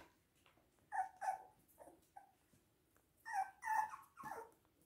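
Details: Toy and miniature poodles indoors at Hahnstätten, 19.02.2022: two bursts of thin, whining whimpers, each note clear and slightly wavering, the second burst of three louder, drawn-out cries ending in a brief scuffle.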